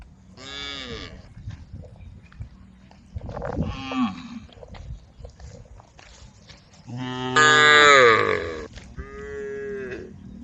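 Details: Cows wandering on a road at the forest edge, calling the herd: several long, deep, harmonic moos, the loudest and longest swelling near the end, followed by a shorter moo, with quiet gaps and a soft low background rumble between calls.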